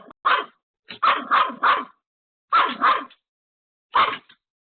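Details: Home-alone Pomeranian barking desperately at an unexpected visitor: short, sharp, high-pitched yaps in quick bursts of one to three, about seven barks in under five seconds with short silent gaps.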